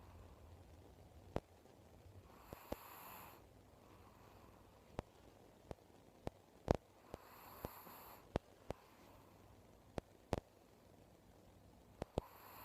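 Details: Snoring from an elderly pet Chihuahua whose eyes are both clouded by cataracts, an uncommon habit for this dog. Hissing snores come about every five seconds, with scattered sharp ticking clicks and faint low hum.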